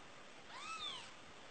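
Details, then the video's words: Faint, high mew from a newborn kitten, a single short call that arches up and then down, set against a low, even background hiss. "Meo meo - Mèo con trào đời"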